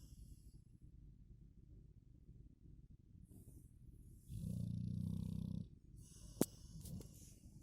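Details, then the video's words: Golden Retriever mother named Blondie snoring: one low rumbling breath of about a second and a half, with quiet breathing before it and a brief click near the end. "Мамочка Блонди Храпуша"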